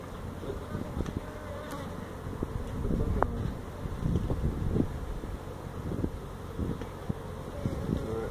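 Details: Honey bees from a feral hive inside a tractor tire at a Mission, Texas citrus orchard, disturbed during removal; a rough, low droning buzz under rumbling handling and wind-like noise, with occasional sharp clicks.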